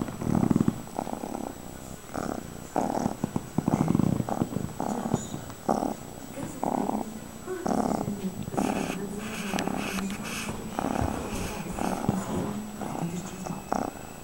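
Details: Long, loud purring from Fred the cat: repeated rumbling surges at a quick breathing rhythm, with some brief crackling noises in the later part.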